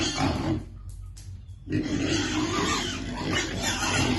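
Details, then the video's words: Piglet waiting for its food at feeding time. Low, rough grunts with a short quieter gap near the start, then continued grunting over steady background noise. "Baby piglet waiting eat food"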